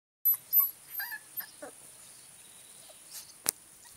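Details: Giant Schnauzer puppies, 26 days old, from an A litter, beginning to explore outdoors; a few short high whimpering squeaks in the first two seconds, then quiet with a faint insect-like hiss and one sharp click.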